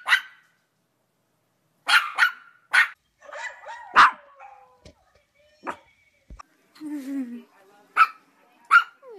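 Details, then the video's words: Yorkshire Terrier giving sharp, short barks scattered across the recording, some in quick pairs, with brief softer whines and other household sounds in the gaps between them. "Yorkshire Terrier Barking and Howling"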